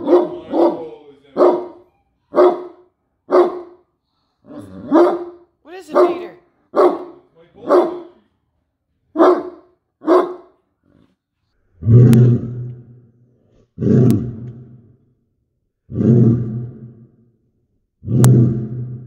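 A Great Dane gives a run of quick barks, then deep, drawn-out slowed booming barks.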